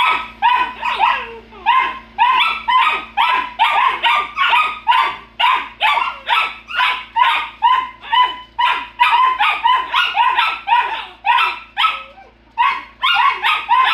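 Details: Several Golden Retriever puppies squabble over nothing, trading shrill, yappy barks in a nearly continuous stream, roughly two a second. The barks overlap and keep up steadily before a short lull near the end.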